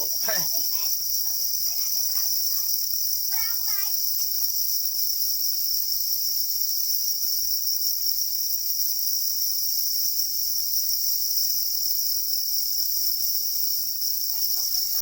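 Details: Angry black crickets, or para crickets, guarding their eggs keep up a continuous shrill ringing trill in two high bands, with brief human voices at the start and the end.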